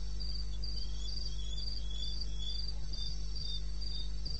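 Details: Night cricket in eastern Botswana's wilderness, 02:30 on 21 May 16, giving brisk, evenly spaced high-pitched chirps in a continuous pulsing train over a steady low droning background hum.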